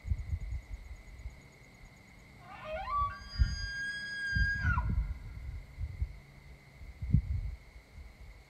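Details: A big Pennsylvania elk bugles: a rising, reedy tone that climbs to a long high whistle, then drops away.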